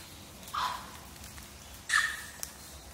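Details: Japanese macaques at Awajishima Monkey Center, Sumoto, Hyogo, Japan, a free-ranging wild troop of about 350, with babies Miu and Konatsu on 18 February 2024: two short, high, squeaky tonal calls about a second apart.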